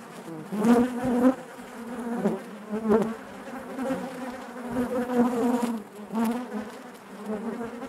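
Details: Inside a honey bee hive, a steady low drone of many buzzing bees, with louder surges as single bees pass close, around the first second, near three seconds and again past six seconds.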